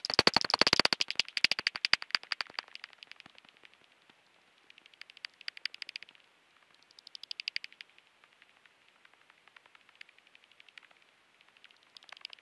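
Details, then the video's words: Common pipistrelle echolocation: rapid trains of dry ticking pulses, roughly ten per second, loud at first, then fading into shorter bursts separated by brief pauses. "Gewone Dwergvleermuis"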